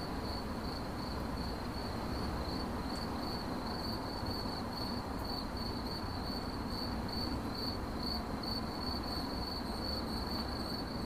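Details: High, evenly spaced cricket chirps in 8D audio meant for sleep and meditation, a rhythmic pulsing tone that never stops, with faint steady background noise beneath.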